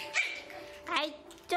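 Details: Three young Pomeranian puppies, frightened but curious, facing a jingling toy ball for the first time. Two brief high yips about a second apart, each bright and harmonic, then another sharp yip cut short at the end.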